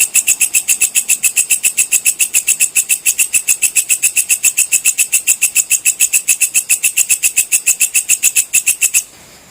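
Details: Katydid (walang kecek) calling, recorded as tutor sound for lovebirds and oriental magpie-robins: a loud, even series of sharp high clicking pulses, about three and a half per second, for nine seconds, then stopping.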